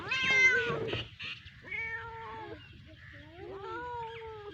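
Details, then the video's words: A hungry cat and kitten calling, opening with a loud bright meow, then a string of quieter, wavering meows that rise and dip, some overlapping as if several animals call together. "Hungry Cat and Kitten Meowing Sound Effects"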